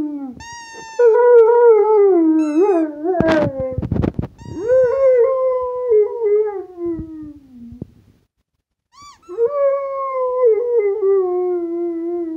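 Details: A Rottweiler "sings" to a squeaky toy, howling in long, wavering tones that slide gently downward, broken by brief sharp squeaks of the toy.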